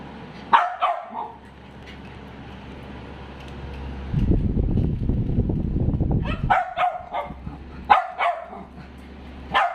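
A Dachshund gives sharp, yappy barks in uneven bursts, with a stretch of low rumbling noise between them.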